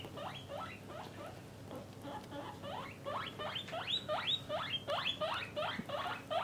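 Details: Domestic guinea pigs, parent and offspring in separate cages by sex, produce a run of rising whistled wheeks that grow louder and faster in the second half, roughly three per second.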